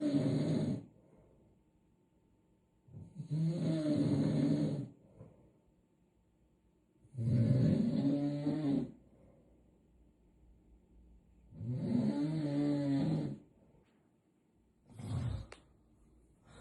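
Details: Sleeping cat snoring: four long, low, rasping breaths, each lasting over a second and coming about every four seconds, separated by near silence. A shorter fifth snore cuts in near the end.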